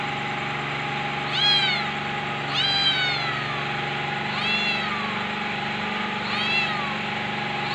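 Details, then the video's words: Kitten meowing four times at roughly even intervals, each meow a bright, wavering call rising then falling in pitch, over a steady mechanical hum in the background. "cute cat kitten meow sound | meowing"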